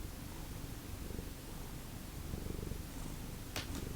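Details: A cat from the Lucky Ferals cat family purrs steadily indoors. The low, rapid rumble pulses evenly throughout, with a brief sharp click near the end.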